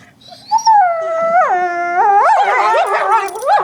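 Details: Pet dog making weird noises: a sustained tonal howl-like whine that slides down, then breaks into wavering, yodelling rises and falls, ending in a short upturned whimper, with strong harmonics and little background.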